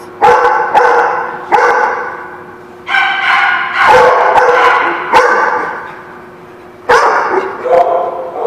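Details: Dog barking on March 18, 2017: loud, harsh barks singly and in short bursts, separated by brief pauses, some rising into strained, higher yelps, with a soft human voice faintly underneath.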